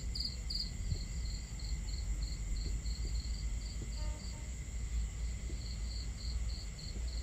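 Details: High, evenly spaced cricket chirps ring out on a starry night at a campsite, a few loud pulses opening the stretch before a regular rhythm, beneath a dense low murmur of flowing water and fire crackle.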